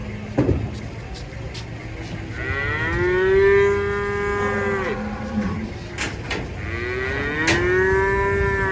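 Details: Enraged large cow coming off a truck gives drawn-out, deep, resonant moos, a long rising-then-falling call followed by a second shorter one, with sharp bangs, clatter and men's voices around.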